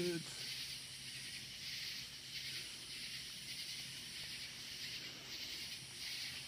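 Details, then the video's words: Crickets calling loudly at night in the woods, an unbroken high-pitched hissing trill that swells and fades gently, over a low steady hum; a short voice fragment at the very start. "Crickets Keeping Me Awake"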